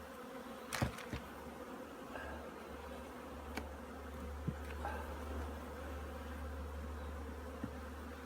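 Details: Honey bees at an apiary in Korea, preparing their colony for winter; a steady, low, even droning hum fills the clip, broken by a few sharp knocks and clicks near the start and mid-way.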